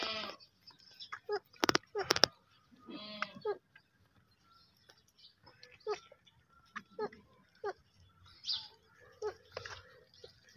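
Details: Baby goats bleating: short, wavering calls repeated every second or so, one longer quavering bleat near the start, with sharp clicks and knocks around them.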